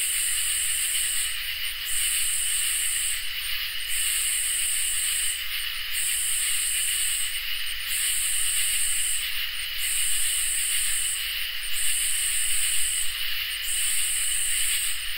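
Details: Crickets and katydids in a summer night chorus: a continuous high-pitched trill, with shrill buzzing phrases switching on and off in a regular cycle of roughly one and a half seconds, and a low rumble beneath.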